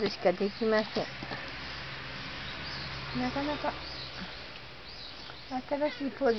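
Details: Domestic cat Mike, number 32 in its series, muttering to itself in 'cat language'. Short chirpy murmurs come in quick clusters, each with a bent pitch. The clusters arrive at the start, in the middle and again at the end, with soft room hiss between.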